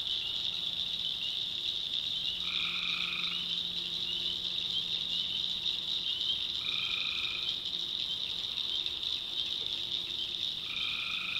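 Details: Three spaced tree frog calls at night in a North Carolina swamp, each a short, buzzy, tonal burst roughly four seconds apart, over a steady shrill chorus and a faint low hum.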